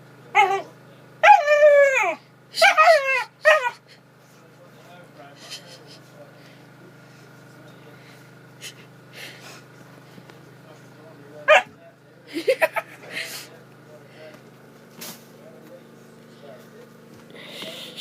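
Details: Pointer puppy Macy whimpers in a run of high, arching whines that sweep up and down at the start, then gives scattered short yips later, with a constant mechanical hum and soft background voices.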